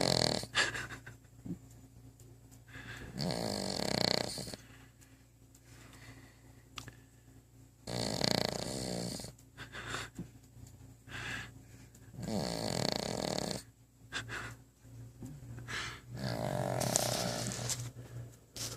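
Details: Sleeping pet dog, head against the base of a coffee table, gives a run of rough snores roughly every four to five seconds, each a drawn-out raspy rattle, some ending in a higher wheezy whistle, with softer breathing between.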